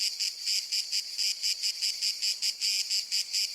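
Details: Cicada producing a strident, metallic buzz that swells and fades in rapid, even pulses, roughly four per second, alone against a silent background.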